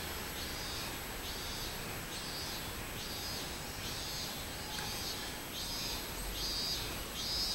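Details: Minmin cicada, 24 July 2016, giving a rhythmic pulsed song: high buzzy bursts repeating roughly every second, evenly spaced over a soft continuous hiss.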